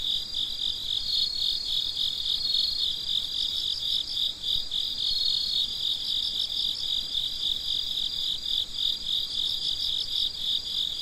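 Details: Crickets at night near midnight, many chirping together in a constant high, pulsing trill, one thin sustained whine riding above the beat for a few seconds, otherwise calm.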